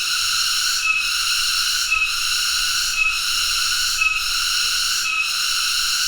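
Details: Continuous shrill cicada (tonggeret) drone, a rich metallic buzz broken by short regular dips about every second.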